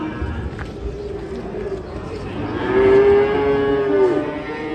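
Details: A single long, even moo from cattle, held steady for over a second before dropping off at the end, preceded by quieter low lowing over a noisy background.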